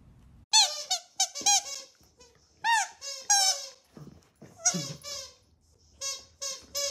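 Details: Miniature dachshund puppies give high, squealing whimpers in short bursts, each note rising and falling sharply, grouped in about six clusters over seven seconds, with brief quiet gaps between.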